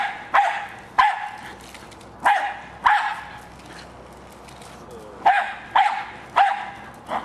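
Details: Jack Russell Terrier named Hali barking while attacking a remote-controlled car; sharp single and paired barks come roughly every half second to second, with a quiet pause midway before the barking resumes.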